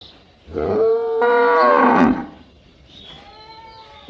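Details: A cow moos once in a village setting: a drawn-out harmonic bellow of about a second and a half that bends downward at its end, followed by quieter background sound.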